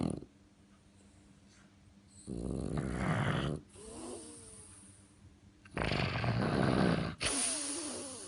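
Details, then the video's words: Snoring French Bulldog Marsik, sounding like a tractor: two long, harsh, rattling snores, each followed by a faint wavering whistle as the breath trails off. "Французский бульдог Марсик. Храпит как трактор..."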